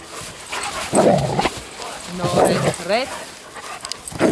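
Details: Eddy the Schnauzer romping with RED, a young German Shepherd: short excited barks and a wavering whining yelp come in bursts, while human voices talk over and between them.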